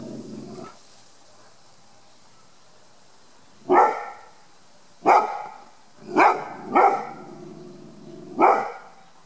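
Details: Rhodesian ridgeback Ruby, a five-year-old 36 kg female on guard in her back yard, July 2018: five sharp, deep barks spaced irregularly with quiet gaps, two coming close together near the middle.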